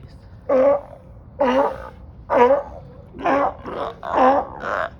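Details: On a Marina Del Rey dock in California, noisy sea lions give rough, gargling barks, five spaced bursts about a second apart, each with a bent, wavering tone, over quiet low hum.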